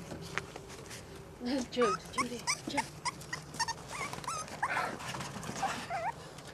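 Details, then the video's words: Five-week-old French Bulldog puppies playing outside: a run of short, high, wavering whimpers and yelps, several each second, rising and bending in pitch, with a woman talking to the puppies throughout. "Five week old puppies playing outside"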